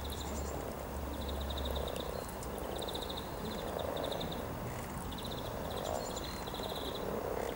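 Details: A steady murmuring croak rises from hundreds of mating frogs at the riverside near Cow Tower, Norwich, 7 April 2013, pulsing in soft surges, with rapid repeated bird trills and low background rumble.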